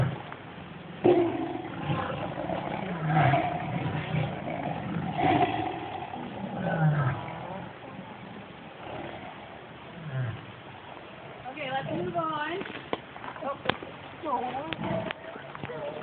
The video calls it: EFRC tigers roaring